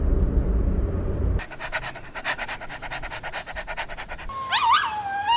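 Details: Playful puppies from a mix of Pomeranian, Chihuahua, Maltipoo, Poodle and Bichon Frisé: a low rumble gives way to a fast, uneven run of breathy panting pulses, then high, squeaky whining whistles that slide up and down near the end.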